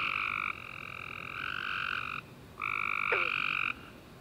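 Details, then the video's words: Tree frogs singing after a warm, rainy summer day, recorded at night: long buzzy trills of about a second each, two overlapping callers alternating with short gaps, one sharp click near the end. "Tree Frog Chorus After A Warm Rainy Day - 10 Hours Tree Frogs Chirping You To Sleep"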